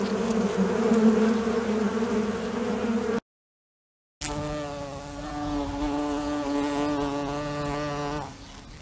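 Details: A fly buzzing as a low, rough drone, then a short silent break, then a cleaner, slightly higher and more tonal hum that wavers and fades toward the end.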